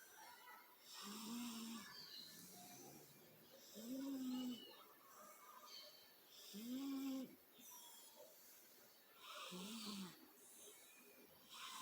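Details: Sleeping female cat snoring: low, soft rasping snores rising and falling in a steady rhythm, one roughly every three seconds, with faint breathy hiss between them.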